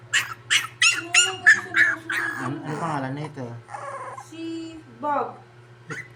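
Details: High, piercing whimpers from a crying poodle tumble out in a fast run for about two seconds, then Tagalog conversation takes over.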